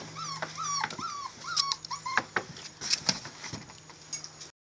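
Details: Male Catahoula bulldog puppies giving short, soft whimpers repeated several times in the first seconds, then tapping and scratching clicks take over.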